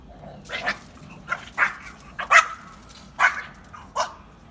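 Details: Two Pekingese dogs fighting over bread: a run of sharp, harsh barks and snarls, about six irregular bursts within four and a half seconds, over a faint low background hum.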